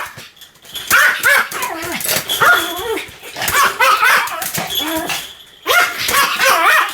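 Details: Sam, a Pomeranian, in continuous barking: clusters of high, yelping barks with wavering whine-like tones, separated by brief gaps, loud and close.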